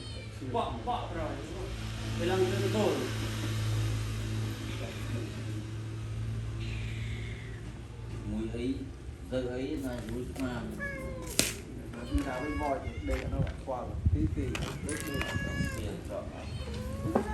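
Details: Hungry cats eating rice let out a run of wavering, repeated meows, several overlapping in the second half, over a low steady hum with people chatting in Khmer nearby.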